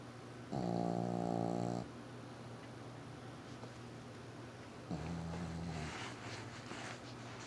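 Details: Dog snoring with two long, throaty, rattling breaths about four seconds apart, the second fading into quieter breathing and faint background sounds.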